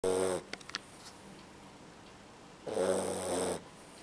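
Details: Sleeping Beagle puppy snoring: two loud harsh rasping breaths, one brief at the start and one lasting about a second near the end, separated by quiet breathing and a few soft clicks.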